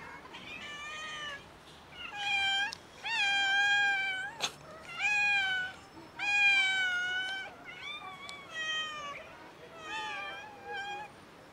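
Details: Several hungry neighborhood street cats meowing loudly while being fed; loud, overlapping harmonic meows, some rising then falling, others drawn out, coming in bursts about every second with short pauses and one sharp click in between.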